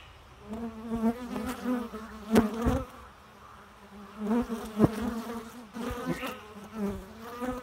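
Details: Steady low buzzing of bees in flight, the hum swelling as they approach and fading as they move off, with occasional sharp taps.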